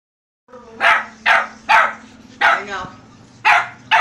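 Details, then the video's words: Poogle, a poodle and beagle cross, barking in a quick run of six sharp, bright barks about half a second apart, with a steady low hum beneath. "Poogle poodle beagle"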